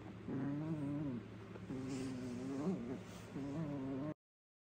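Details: Jack Russell Terrier puppy aged three months growling while tugging at socks in play; three drawn-out, low, rough growls with slight wavering pitch over a steady background hum.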